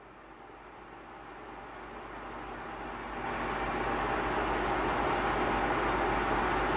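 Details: No animal voice is heard; a steady broadband rumble like passing traffic or a vehicle interior fills the recording and grows louder after about three seconds.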